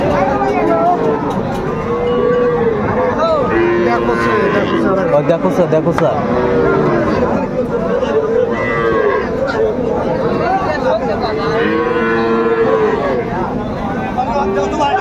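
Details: Friesian and crossbreed heifer calves at Raniganj cattle market, Dinajpur, on 12 July 2024: several drawn-out, wavering moos rise and fall across the clip from different animals, over steady crowd chatter and a man talking.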